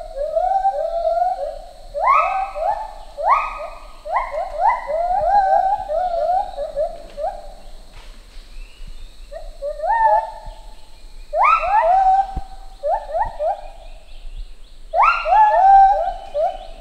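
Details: Lar gibbon pair, male and female, singing a synchronised duet that builds social bonds; clear upward-gliding hoots repeat in regular rhythm, with several bursts where notes sweep sharply higher and overlap, separated by short pauses.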